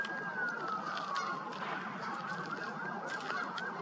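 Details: A large bull elk bugles at a golf course in September, a long, high whistle that slides down and then wavers in pitch, over steady background hiss and rumble; an onlooker calls it the biggest elk they've ever heard.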